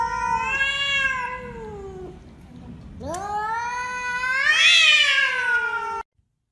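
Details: Domestic cat giving two long, loud, harmonic-rich meows: the first drawn out and falling over two seconds, the second rising sharply, then held and swelling louder before cutting off abruptly; faint background noise.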